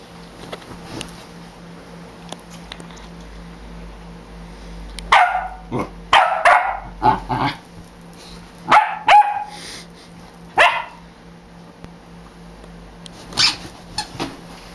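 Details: A dog being taunted barks wildly indoors: loud sharp barks in clusters, several quick barks around five to seven seconds, more near nine and eleven seconds, then a final burst near thirteen seconds, with quiet room hum between.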